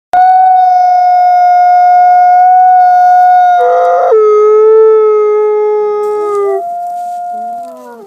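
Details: Captive-born gray wolf, an ambassador wolf at a wolf conservation centre in South Salem, New York, gives a long, clear, tonal howl. It holds steady, then drops to a lower pitch and ends with shorter sliding notes, with no other sounds.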